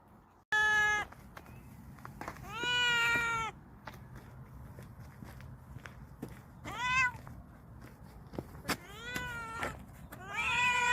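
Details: Stray cats living in a vegetable garden, fed a special nourishing meal, give several separate meows with clear harmonic stacks, each under a second, scattered across the stretch with quiet gaps and faint clicks between.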